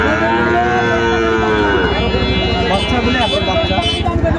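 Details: Sahiwal bull calves at the Ambari cattle market in Dinajpur, Bangladesh, on 20 January 2025. A drawn-out, harmonic-rich moo bends downward over about two seconds, followed by market chatter and bargaining voices.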